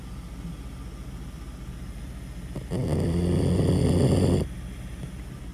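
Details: Loud snoring from a dog: soft low breathing, then a rasping, buzzy snore that swells for nearly two seconds before dropping back to quiet breathing.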